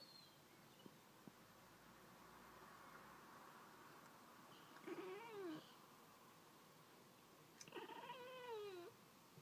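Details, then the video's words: Pet cat indoors chattering at birds outside, two short bursts of rapid, wavering, stuttering chirps a few seconds apart over quiet room background. "chattering away to the birds outside!"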